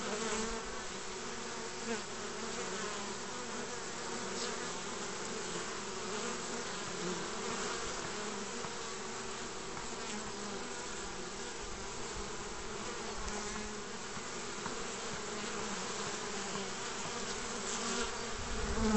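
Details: Spring at the mouth of a bee basket, 29 March 2014, honey bees bringing in pollen: continuous low, even droning of a crowd of bees, unbroken for the whole stretch, with faint higher flickers of passing wings.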